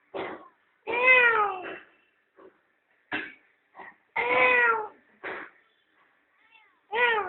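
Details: Domestic cat, a mother with her playful kittens enjoying the sun at home; harmonic, arching meows repeat irregularly, longer drawn-out calls mixed with short clipped ones, separated by quiet gaps.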